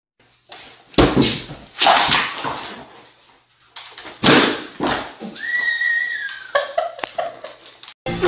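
A donkey brays in loud, harsh, rasping bursts, with music and a voice in the background.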